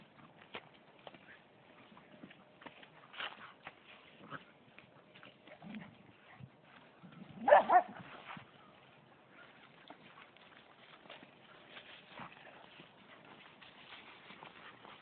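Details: Norwegian Elkhound dog at play, recorded on a mobile phone: scattered soft huffs and yips, then one loud sharp bark burst about halfway through, followed by quieter low snorts and rustling.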